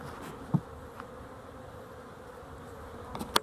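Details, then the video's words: Honey bees near a spot patched with duct tape, dated 12-11-23; a continuous low droning buzz runs throughout, with a couple of sharp taps near the start and end. "Honey Bees for Fun"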